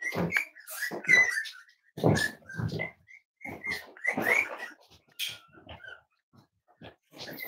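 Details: Five-week-old Cavalier King Charles Spaniel puppies from Myra and Remy's litter, indoors during weight checks: a busy run of thin, high squeaks and whimpers, some sliding briefly, mixed with soft thumps and shuffling.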